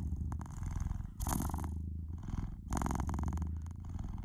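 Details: Domestic cat purring steadily and noisily, a deep low rumble that swells louder around the second and third seconds, with a faint pause near the middle.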